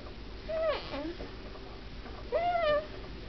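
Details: Pet cat making odd noises while asleep indoors: two thin whistled calls, each rising then falling, about two seconds apart, the first followed by a brief lower squeak.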